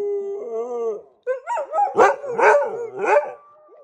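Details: Pet dogs before bedtime let out a steady held howl that breaks after a short pause into a run of choppy, yodelling yelps rising and falling in pitch.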